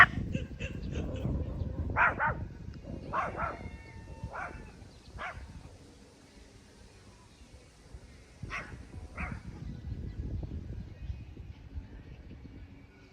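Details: Puppies playing on a lawn give short, sharp barks and yips, spaced irregularly with gaps between bursts, over a low rumble of outdoor background noise.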